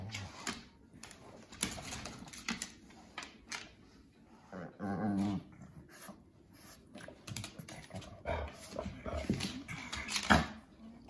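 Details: Two pet dogs, a Shih Tzu/Pekingese mix and a German Shorthaired Pointer, play fighting for affection out of jealousy; rough growls and snarls mixed with scuffling, thumps and clattering noises.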